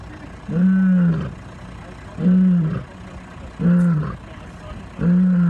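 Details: Lions giving a series of four deep, short, moaning grunts with strong harmonics, evenly spaced about every one and a half seconds, over a low, steady background rumble.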